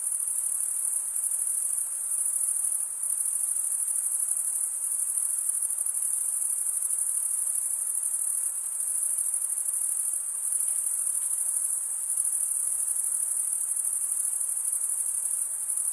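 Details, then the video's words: Chirping crickets, with males rubbing wing against wing to stridulate. The chorus is a continuous high, thin buzzing trill at constant pitch and loudness, unbroken throughout, with nothing else audible. "Most relaxing cricket sound"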